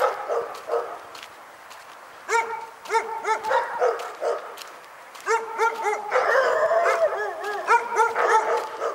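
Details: Dog barking in Pyrga: bursts of sharp, harmonic barks in quick runs of three to five, separated by short pauses, with a denser and more overlapping stretch near the end.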